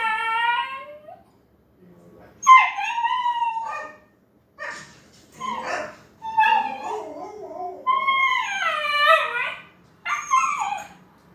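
A young Siberian Husky tries out wavering, rising howls broken by whimpers and short yips.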